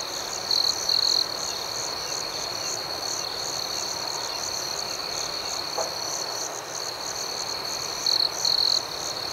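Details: Crickets chirping at night: an unbroken bright, high buzzing chorus with rhythmic pulsing, with brief louder trills at the start and near the end and a faint soft click midway.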